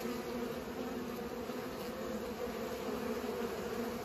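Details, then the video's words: Constant buzzing of pollinating bees, a thick low hum with two steady tone bands and no breaks. "Bees pollinate"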